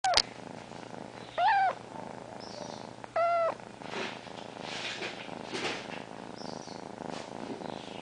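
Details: Female domestic cat lying on top of her owner, purring and meowing at the same time: a soft continuous purr underlies two short rising meows near the start, with a quiet indoor hum.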